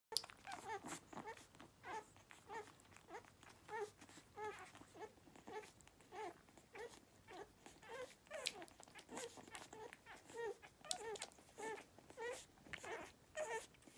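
Beagle puppies give short, high squeaks and whines, repeated in quick bursts while nursing.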